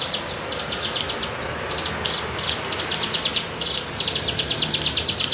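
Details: Bren cigun cicada in the undulating bergelombang style, used as tutor sound for songbirds: rapid pulsed buzzy trains in bursts of about one second, separated by short gaps, over a soft low background hiss.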